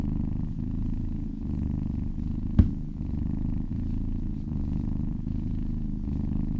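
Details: Continuous low, throaty purring from kittens being gently massaged, pulsing in even breath-by-breath waves, broken once by a single brief sharp click near the middle.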